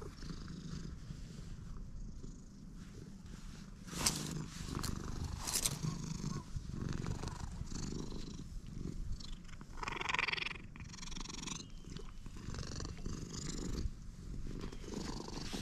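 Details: Stray cat purring soon after meeting someone, a low continuous rumble partly covered by frequent rubbing, clicking and handling noises and a brief higher squeak.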